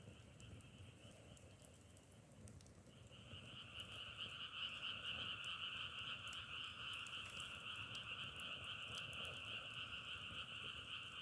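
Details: Frogs calling in a chorus likened to the crackle of burning firewood: a dense, steady, buzzing trill in two pitched layers that swells sharply after about three seconds, with scattered faint clicks throughout.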